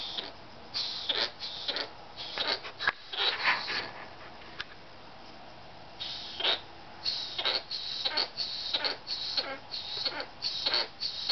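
A sugar glider makes rough, breathy bursts of sound, short and scratchy, coming in uneven runs about twice a second. Between the bursts there is only a quiet room hush.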